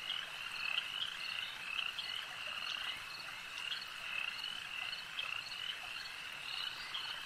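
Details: Lakeside frog chorus: many voices croaking together in a continuous high, buzzing wall of sound, with short sharper trills repeating irregularly and no other clear sounds.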